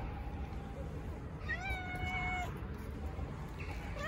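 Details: Stray cat at a park in Istanbul, one of several strays gathering around a volunteer feeder while a tuxedo cat is petted; a single drawn-out harmonic meow about one second long, steady then falling, over low outdoor rumble.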